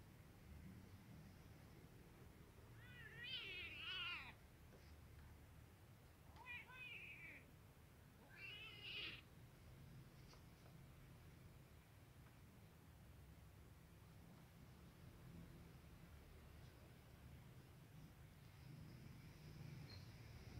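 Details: Domestic cats, a kitten with a black male cat it is getting used to: three short, wavering meows around the four-, seven- and nine-second marks with clear harmonics, then a quiet room with a low hum.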